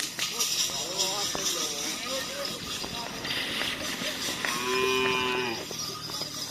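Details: Cattle at karapan sapi training in Pamekasan, where many young bulls are being exercised. Busy voices and crowd bustle lead into one long, level, droning moo near the end, set against hissy background noise.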